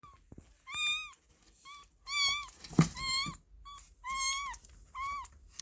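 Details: A baby kitten in a box, apparently on its first day in a new home, cries with high, thin meows repeated about once a second.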